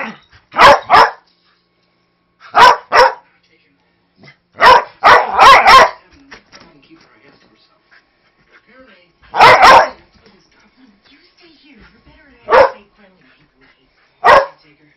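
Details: Playing rough with a 3-month-old husky lab mix puppy, Snoopy, a very vocal 5-year-old Manchester Terrier mix, lets out loud, sharp barks that sound aggressive but are harmless. About a dozen barks come in pairs and quick clusters, with quiet gaps between them.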